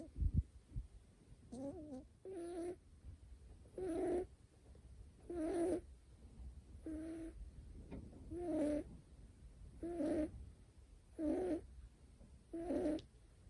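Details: Niko, a short-haired male Scottish Fold kitten with folded ears born 25 July 2019, snoring while asleep: soft nasal, slightly tonal snores with a wavering hum, repeated roughly every one and a half seconds, with quiet pauses between breaths.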